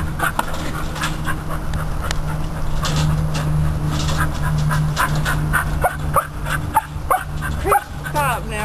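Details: Beagle kept as a rabbit hunting dog, excited by a chipmunk in a trap, giving high whining cries that rise in harmonic sweeps toward the end, over people talking and a steady low hum.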